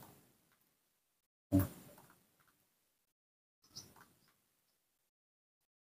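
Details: A sharp knock or door-like thump, a softer rustle later, and near silence otherwise; no animal voice.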